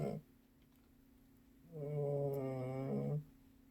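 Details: Sleeping pet cat, the youngest of the household, snoring indoors: after a short sniff, one long drawn-out snore of about a second and a half, a low steady rumble with stacked harmonics, over a faint constant hum.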